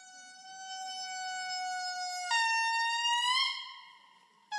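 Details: Indri song played back as a recording, called one of the most magnificent animal songs heard in the wild; a loud, sustained wailing tone jumps abruptly higher midway, holds, then rises and fades, its harmonics stacked clearly, with a faint room murmur beneath.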